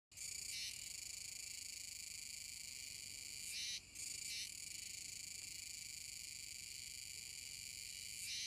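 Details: Kuroiwa's cicadas chorusing in unison near the mouth of the Kōme River, Tenjin-machi, Nishinoomote, Tanegashima, Japan, on 7 September 2022; a dense, continuous shrill buzz fills the clip, with brief dips near the start, around four seconds and at the end.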